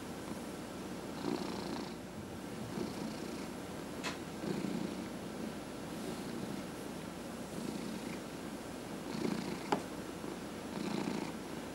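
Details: A 14½-year-old male cat purring while his head is massaged; a rumbling purr swells and fades in breath-like cycles about every one and a half seconds, with soft hissy breaths and occasional clicks.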